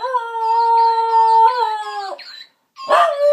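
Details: Bedlington terrier, female pet, playfully howling to a talking parrot at home: one long, steady, tonal howl held about two seconds with a slight upward step midway, then a brief pause and a short, rougher howl.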